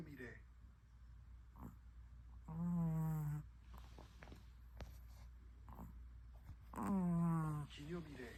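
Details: Long-haired Chihuahua named Hodu snoring indoors, each breath carrying a tonal, falling whine that lasts close to a second and comes about every four seconds. Soft low rumbling and faint clicks fill the gaps.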